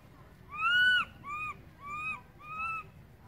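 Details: Baby monkey crying loudly for its mother after she has moved far away: four arched, whining tonal cries, the first longest and loudest, the rest shorter and evenly spaced about half a second apart, over faint background rumble.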